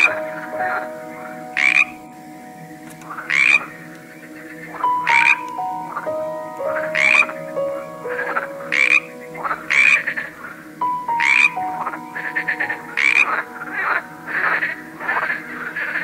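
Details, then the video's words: Frog from a collection of various frogs and toads, giving short rasping croaks repeated roughly every one and a half to two seconds, each burst bright and broadband, over a steady low tonal hum in the background. "A cool collection of various frogs - Croaking sounds"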